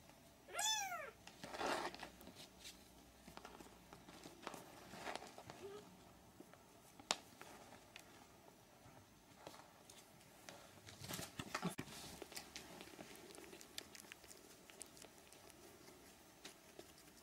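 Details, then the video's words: Three-week-old Siamese kittens indoors: one high, harmonic-rich meow near the start, arching up and down, followed by soft scratching, shuffling and faint rustles through the rest of the recording. "Siamese kittens (3 weeks)"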